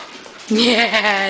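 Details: Alaskan Malamute from a pack of six, singing along with its owner, gives a wavering harmonic howl that starts abruptly and holds a steady pitch with slight rises and falls; a woman's voice is heard before and after.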